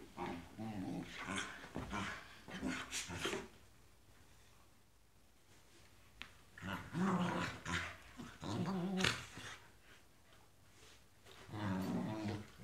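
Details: Pet Tibetan Terriers give throaty, low growls in clustered runs, with a quiet stretch of several seconds in the middle before the rumbling bursts resume, indoors.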